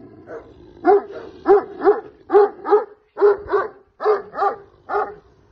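A Caucasian Shepherd Dog gives a run of deep, harsh barks, several each second in short bursts.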